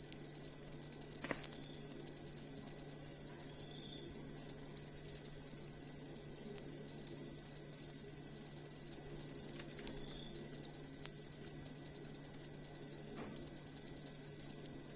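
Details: A cricket used as master sound for teaching songbirds calls in a steady, shrill pulsing trill, roughly three and a half pulses per second, unbroken for the whole stretch with a faint higher overtone.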